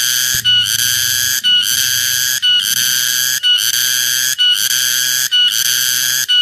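A cicada sings a loud, shrill, ringing buzz with a reedy, almost whistled tone. The sound pulses steadily, cutting out for a moment roughly every second before surging back at full strength.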